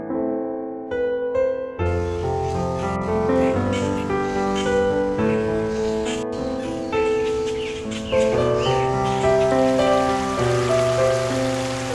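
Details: Piano music throughout, with sparse opening notes building into flowing, layered chords, and no clear animal call.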